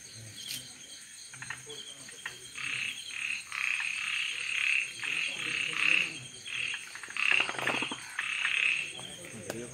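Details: A Malabar gliding frog (Rhacophorus malabaricus) gives short, rattling clucks in uneven bursts over a steady high insect whine.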